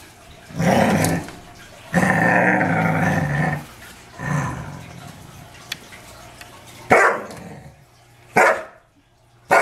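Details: Archer, a pet Dobermann, angry at deer in the back yard: long rumbling growls lasting one to two seconds, broken by short sharp barks near the end.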